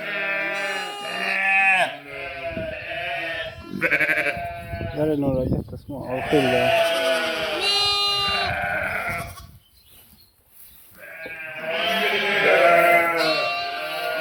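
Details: Sheep with lambs, 11/5/2026: repeated quavering bleats from several animals, some drawn-out and wavering, running almost continuously with a short pause near the end, possibly mixed with human voices nearby.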